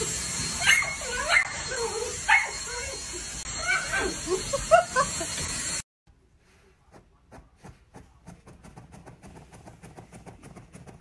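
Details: Playful miniature dachshund giving a run of wavering, high yips and squeaky whines over a steady hiss for about six seconds, then a cut to quiet, rapid ticking and tapping sounds.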